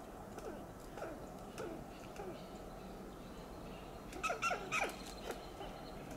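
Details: Western gray squirrel on a coast live oak in Del Monte Forest, California, giving loud alarm calls: faint scattered chucks early on, then a tight burst of sharp, harsh staccato notes near the end over steady background hiss.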